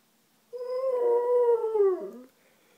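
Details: Male Alaskan Malamute answering the whining of a neighbour's female dog on a morning with the window open: one sustained mournful howl rising briefly, then sliding slowly downward over about 1.7 seconds, ending in a short lower waver.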